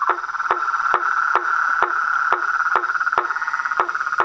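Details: Frogs, toads and treefrogs call together, a steady high-pitched trilling hum punctuated by short knocking croaks about every half second, fairly even in rhythm.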